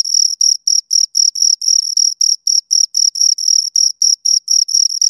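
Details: Pair of crickets producing rapid, regular high chirps, roughly 220 pulses per minute, each a bright narrow tone with a fainter overtone above, separated by short silences; nothing else audible.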